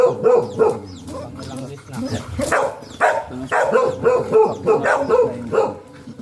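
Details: Sta. Barbara, Pangasinan golden retriever during a stud (mating) session, barking in rapid irregular series, about three per second at its busiest, with voices and handling noise mixed in.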